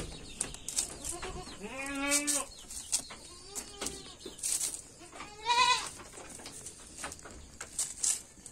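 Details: Jamnapari goat with red head colouring bleating three times: a long quavering bleat, a shorter one, then a higher, wavering cry, over a light hiss of barn noise.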